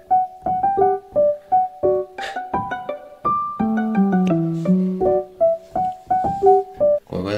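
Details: A bright piano melody of short, bouncing notes with a brief deeper run in the middle, and no animal sounds.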